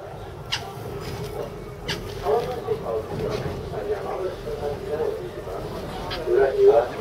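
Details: Captive North American porcupine at Saitama Children's Zoo, Japan, filmed in March 2017, gives a steady, wavering whine held at one pitch. It carries on throughout with small upward inflections and grows louder near the end. Brief sharp clicks sound occasionally.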